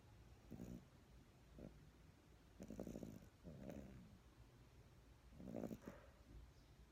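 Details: Dog asleep in a person's arms, snoring softly: short, quiet rasping breaths roughly every second or two, with light background hiss.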